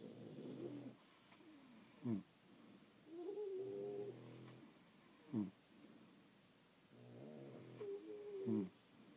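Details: Dozing French Bulldogs give soft, muffled snores with brief snorting clicks and wobbling nasal whistles, calmer and quieter than a full snore.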